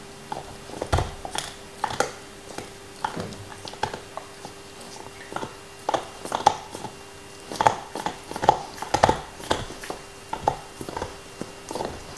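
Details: Nixon, a black Lab, working at his favorite beef bone: steady rhythmic crunching and gnawing, crisp cracks about every half second, licking sounds, indoor quiet with a faint hum.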